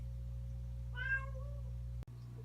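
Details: A domestic cat, said to be hating its owner over medication given by syringe, gives a single drawn-out meow over a steady low mechanical hum.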